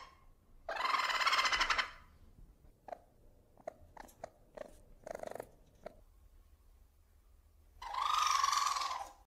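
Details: Small domesticated ferret making a loud, harsh, buzzy squeal, then a run of quiet irregular clicks and snuffly chuffs, ending in a second rasping squeal of similar length.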